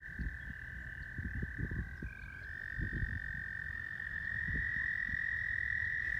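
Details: Male American toads at a pond in 2020 give long, steady, high musical trills so that females can find them, having gathered at the water to breed.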